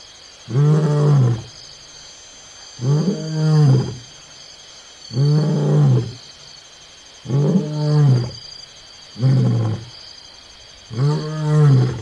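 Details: Wild lion roaring up close at Onguma Game Reserve, Namibia: six deep, throaty, moaning bursts about two seconds apart, each swelling then fading, with a steady faint hiss in the background.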